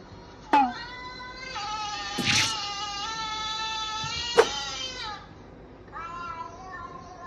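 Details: Male Siamese mix house cat, nearly four years old, adopted from a cat café in Kawasaki, suddenly 'talking' after being angry: one long drawn-out harmonic meow lasting about four seconds, steady then slightly falling, followed by a shorter meow; sharp thumps between.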